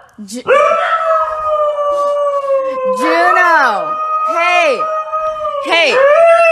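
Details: Siberian Husky in a dramatic mood, holding a long, even howl while short, downward-sliding yowls cut in repeatedly over it, loud and close in a small room.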